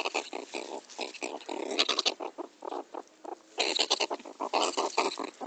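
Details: Pet meerkat being teased and playing with its owner. It gives rapid harsh, grunting pulses in quick bursts, with a short pause mid-clip before another dense run of rasping chatter.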